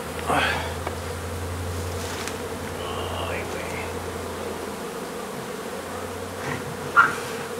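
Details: Honey bees from a nuisance hive inside an old home under renovation in Donna, Texas, during a hive removal and relocation: a steady, even hum with a faint low drone beneath and a couple of brief knocks.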